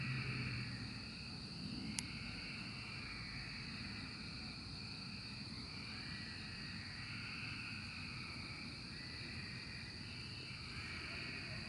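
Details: Cicadas during the 2024 emergence: a buzzy chorus swelling and fading roughly every three seconds, over a steady high whine and a low constant hum, with one sharp click near the start.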